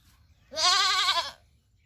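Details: Baby goat playing with a boy gives a single loud, wavering, nasal bleat lasting under a second, rich in stacked harmonics, against a quiet background.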